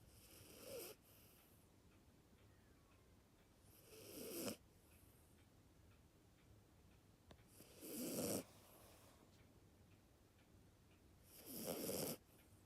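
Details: Sleeping Maltese-Dachshund mix dog snoring loudly; breathy, rasping snores recur about every three to four seconds, each a broad noisy burst with quiet pauses between.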